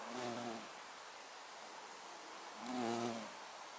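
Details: Violet carpenter bee (Xylocopa violacea) recorded on 24 September 2024: two short low humming passes about two seconds apart, each a brief harmonic drone under a soft background hiss.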